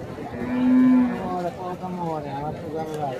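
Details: Cattle at an Indian cow market moo with a steady, low, drawn-out tone lasting under a second, followed by faint overlapping lowing and murmuring market voices in the background.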